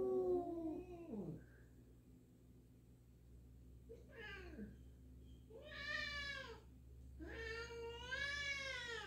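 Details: Indoors, a black cat meets a new black-and-white cat in the home and is unsure of it; a falling meow, then after a pause three loud, bright meows in quick succession, the last long and drawn out.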